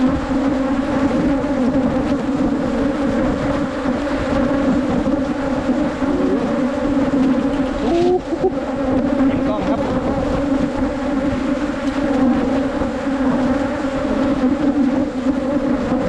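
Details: Wild Asian honey bees during a 2022 honey hunt in rural Thailand, with a steady, dense buzzing hum held at a low droning pitch throughout. A brief voice and a short rustle break in near the middle.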